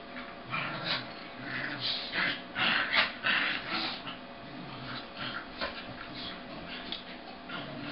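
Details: Half-speed recording of two pet corgis play-wrestling, the vocal one a red and white male, the other a sable female. Repeated stretched, breathy growl-like bursts come roughly every half second, swelling and fading over background hum.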